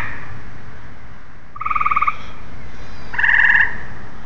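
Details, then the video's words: Tree frog calls: two brief trains of rapid, clicking pulses with a bright tonal ring, the second louder and buzzier, separated by about a second and a half, low hum underneath. "Tree frogs"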